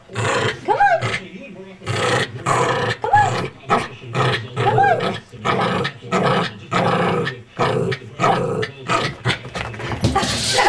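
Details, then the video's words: Three-year-old Pomeranian, excited while playing and trained to growl back 'come on': a person repeats the phrase while the dog answers with a series of short, voiced growl-grumbles, roughly one every second, some with wavering rising tones. "Tucker the talking pomeranian"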